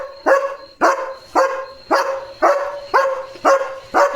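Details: German Shepherd dog on night guard duty at home, reacting to sounds. Seven loud, even barks come about every half second over a steady high insect-like whine.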